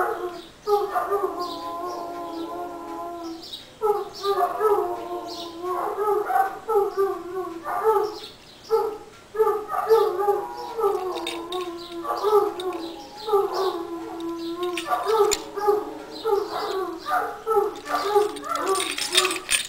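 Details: Several Irish Wolfhounds howling together in their 'song' on St. Patrick's Day: overlapping, wavering mid-pitched howls in layered harmonics, rising and falling in bursts with brief pauses, a chorus of voices blending throughout.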